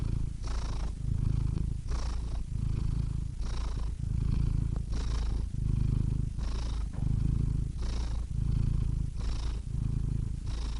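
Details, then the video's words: Domestic cat purring steadily and deeply, low rumbling throb alternating with breathy inhale phases roughly every 1.5 seconds, continuous and close, no other sounds. "Cats Purring Soothing Sound Effects (Relaxing Cat Sounds)"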